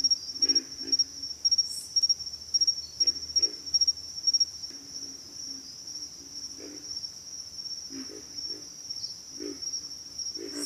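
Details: Several low, hoarse pig frog grunts, scattered singly and in pairs at irregular intervals, set against an unbroken high insect trill with rhythmic chirping pulses.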